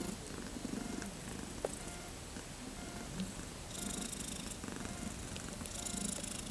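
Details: Thirteen-day-old kittens, born 31 August 2014, eager to play, purr in low soft throbs beneath a hiss of background noise, with brief rustling bursts in the second half.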